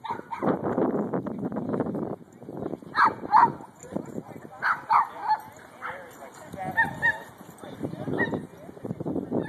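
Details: Mika, a 10-month-old Shiba Inu, playing with another dog at Fullerton's Pooch Park; sharp barks and yips come in bursts around the middle of the clip, with human voices talking throughout.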